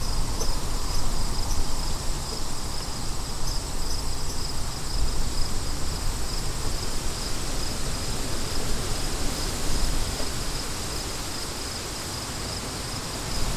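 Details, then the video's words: Crickets chirping steadily outdoors, a thin high pulsing trill running through the whole recording beneath a heavy, constant roar of wind. "Crickets & Wind"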